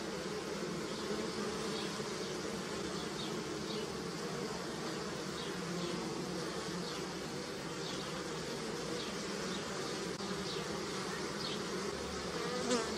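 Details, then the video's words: Natural sound of bees humming near a hive amid flowering apple and pear trees: a continuous layered drone with many overlapping wingbeats and faint passing higher whines of individual bees flying close by. "Som de Abelha - Floração de Maçã e Pêra - Som de Zumbido de Abelha"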